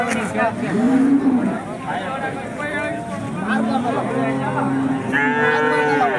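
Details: At the KG temple market in India, Hallikar cattle give several short moos, a rising-falling low near the start, a flatter one midway and a brighter, harsher bellow at the end, amid people talking.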